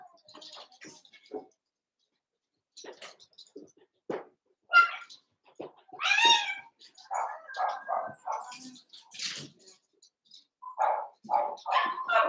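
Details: Playing Cavalier King Charles Spaniel puppies in a pen, a mixed group of eight around seven weeks old; squeaky yelps, whiny tonal yips and quick bursts of barking in rapid series, some rising and falling in pitch.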